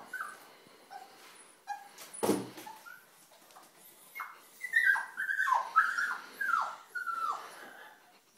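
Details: Puppy trapped in a tissue box at 4:45am; a loud bang early on, then a run of high falling whimpers and yelps growing louder, roughly twice per second.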